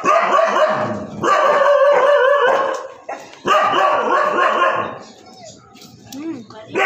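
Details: Siberian Husky barking indoors, a run of loud harsh barks in two long bursts with a short pause between, followed by quieter whines and a child's voice.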